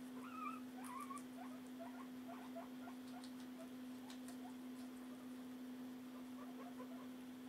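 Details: Two pet guinea pigs at feeding time indoors, one eating while the other barely eats; soft crunchy chewing clicks and small high squeaky chirps scattered through, over a steady low electrical hum.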